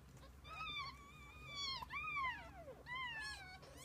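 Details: Kittens and mother cat; long drawn-out, wavering cries that slide up and then sag downward, three or four plaintive wails in quick succession over quiet background noise.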